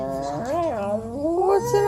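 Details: Male puppy complaining vocally because he wants to play; a continuous, voiced, wavering moan that rises and falls in pitch several times over about two seconds, ending in a slightly higher, steadier tone, with no other clear sounds.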